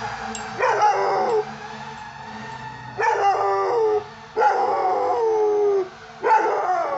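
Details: A 5.5-month-old, 55 lb Belgian Malinois puppy in a backyard howls at sirens in a series of high, wavering notes that slide downward.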